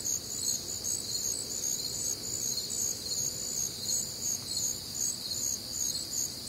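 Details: Crickets on a warm, humid Midwestern summer night, a dense chorus of high, rapid chirping in several stacked bands, pulsing steadily about two or three times a second, with a soft low night hum beneath.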